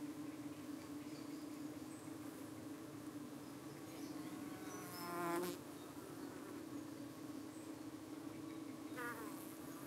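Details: Even drone of a UK honey bee colony at its entrance one evening while parasitic-looking flies dart at the bees; two loud close wingbeat passes swell near five and nine seconds over the steady hum.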